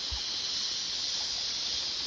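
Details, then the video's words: Chorus of cicadas on a mountain, an unbroken high, sizzling whine steady in pitch and loudness, with a few faint low thuds underneath at the start and end. "Sonido de las chicharras en la Montaña"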